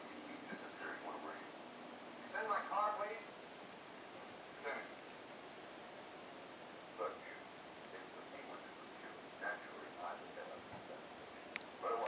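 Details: Eight-day-old Miniature Pinscher puppies, born 14 June 2013, give thin, high squeaks and whimpers in brief scattered bursts.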